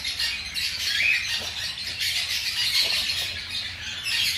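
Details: Baby hamsters aged five days, feeding, give a crowded stream of piercing little squeaks and squeals, rising in short swells and never pausing.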